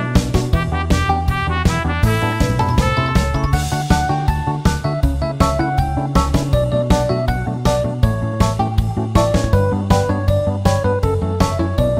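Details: Piano and keyboard music with a steady beat plays throughout, with no animal sound heard.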